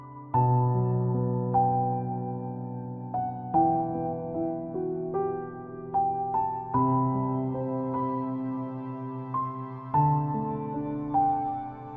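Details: Slow, gentle piano music with sustained chords and a soft melody plays throughout, with no other sounds.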